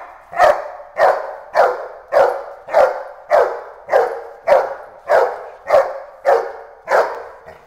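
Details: A Boerboel bitch barking in agitation during Schutzhund protection work before the escape bite, a steady run of twelve loud, harsh barks evenly spaced roughly every 0.6 seconds.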